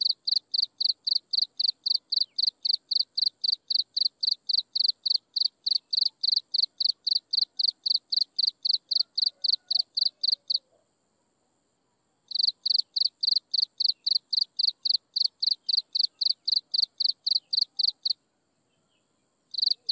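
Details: At sunset, insects chirp in a fast, regular series of high, bright pulses near four a second, stopping for nearly two seconds midway and again briefly near the end, over a faint high hum.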